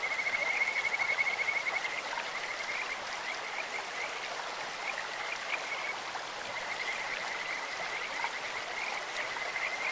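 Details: Kajika frogs in a clear mountain stream, voices compared to birds or insects: rapid high whistled trills that come in bursts and pause, carried over constant rushing water.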